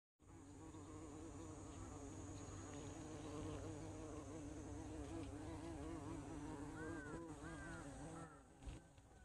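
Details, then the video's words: Bumblebee in flight: a loud, steady, low droning buzz with a wavering pitch that rises and dips as the insect moves, lasting nearly the whole recording, with a few faint high chirps near the end. "호박벌의 비행모습"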